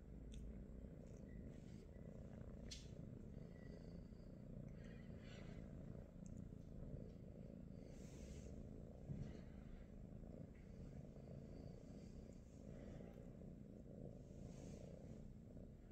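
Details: British Shorthair cats in the morning at home, young kittens among them; a steady low rumbling purr runs throughout with faint clicks and soft rustles above.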